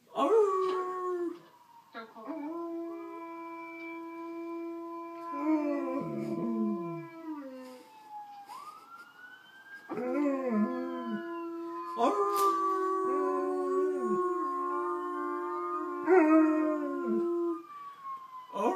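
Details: Alaskan Malamutes howl together as recorded malamute howling plays to encourage one to join. Several overlapping steady and wavering tones form a layered chorus, fairly quiet, with brief breaks and a rising slide near the middle.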